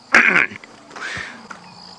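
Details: A young African elephant, left behind by a relaxed herd feeding at early, cool sunrise in March and frightened, gives one short, harsh, high squeal lasting about a third of a second, then quieter rumbling.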